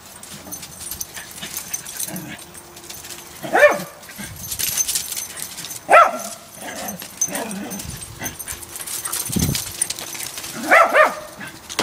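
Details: Two Parson Russell Terriers playing: Kimi, a short-haired 2-year-old female, and Brian, a long-haired 8-year-old male. High energy dogs. Short sharp yips and barks sound at irregular intervals, with scuffling and rustling between them.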